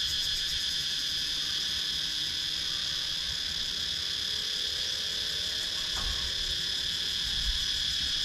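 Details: Wooded countryside in Sakon Nakhon, Thailand, filled with cicadas, recorded by GoPro Hero 9: steady high-pitched buzzing in layered bands, continuous and unwavering, with a brief faint knock near the six-second mark.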